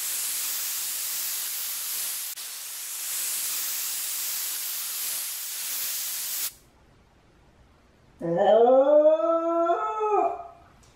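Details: Steady hissing noise, then silence, and then a single drawn-out rising and falling howl from Chame, a lonely Shiba Inu left behind indoors while companion dog Mame goes for a walk.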